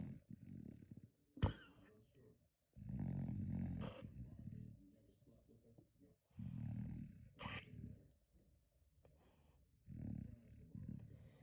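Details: Pet dog snoring really loud indoors, with deep, rumbling snores in bursts every few seconds and brief sharp clicks between them.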